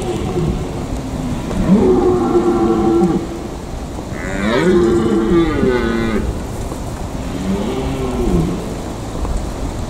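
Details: In the Eifel, red deer stags give three drawn-out, bellowing rut calls that rise and then sag, each over a second long, over a steady rumbling background.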